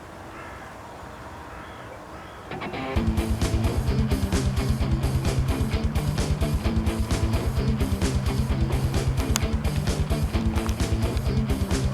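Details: Faint background noise for under three seconds, then loud plucked-guitar music with a steady beat fills the rest.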